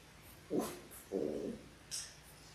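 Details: Labrador Retriever puppies, six-week-old litter of six on a live puppy cam, born January 18, 2022: two short, mid-pitched yelping whines in quick succession, then a faint high squeak, over a quiet background hiss.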